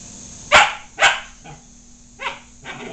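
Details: Pet dog meeting a cat in the house, wanting to be friends while the cat is unsure; short broadband barks or yips at about 0.5 and 1 second, then softer ones near 2.3 and 2.7 seconds, with a steady background hum.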